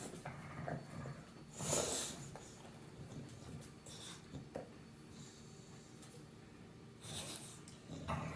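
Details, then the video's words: British Bulldog named Meatloaf snoring: a long, breathy rasp near the second-two mark, quieter breathing in between, then another broad rasping breath around seven seconds. "British bulldog # Meatloaf is snoring"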